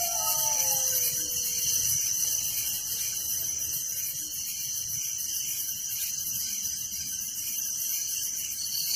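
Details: A village's crickets chirp at night in a continuous high, buzzy chorus of rapid pulses; a dog's fading, falling howl trails off during the opening seconds.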